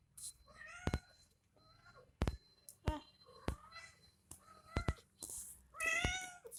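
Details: Mother cat and kitten during milk feeding in a small room: repeated short, drawn-out meows with rich overtones come every second or so, broken by sharp clicks, and a person talks quietly in Hindi.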